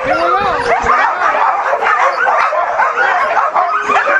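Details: Huskies, eager and crowded together at Caribou Crossing in Yukon, 15 May 2013, keep up a constant din of yelping, whining and bending howls, with a low wavering howl standing out early on.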